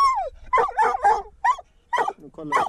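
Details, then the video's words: Hunting dog on a mink hunt, a treeing walker coonhound working with a dachshund: a falling whine opens a dense run of excited, overlapping barks and yelps, roughly six bursts in under three seconds. "Minkjakt med tax & treeing walker coonhound"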